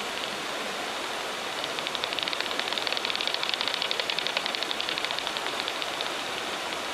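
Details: Daubenton's bats hunting insects low over a river at night in Ireland, echolocation heard through a heterodyne bat detector tuned to 35 kHz: rapid dry clicks in bursts over steady rushing river noise.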